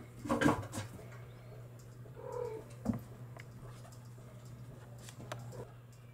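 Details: Bengal kittens from July 2022 litters, born in mid-July, kept indoors: a short harmonic mew near the start, then a thinner, higher drawn-out mew about two seconds later, with soft bumping handling noises and a steady low electrical hum throughout.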